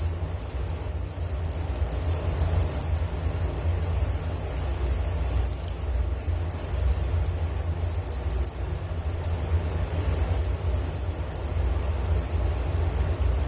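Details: Several crickets chirp together in a calming sleep recording, their high pulsed trills broken into uneven bursts that merge into a steadier tone after midway, with a persistent low droning hum below.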